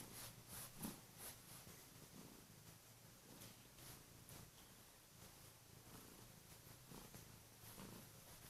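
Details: A female Kurilian Bobtail cat purrs loudly on the bed in the morning, waking its owner and gently nibbling hands; a steady low rumble continues throughout, with soft rustling and brief clicks above it indoors.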